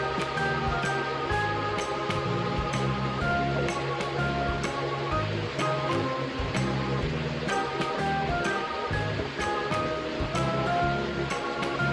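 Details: Steady background music with a rhythmic beat and melodic notes throughout, no animal voice.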